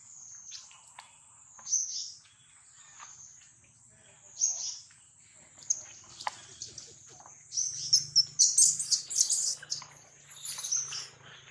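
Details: A scared baby monkey cries before its mother brings it back; thin, very high squeals rise and fall in repeated bursts, growing denser toward the end, with a faint low hum underneath.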